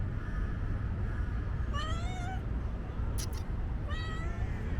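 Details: Shy stray street kitten giving two thin, rising-then-falling meows about two seconds apart over steady low rumbling background noise, with a brief high click between them.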